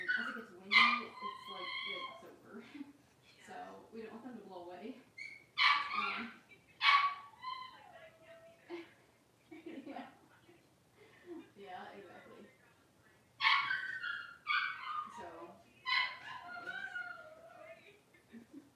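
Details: Five blenheim Cavalier King Charles Spaniel puppies, two girls and three boys born at New Year, moving into a bigger indoor pen: repeated high, bright yips and short whines with falling tails, coming in bursts, with people talking between them.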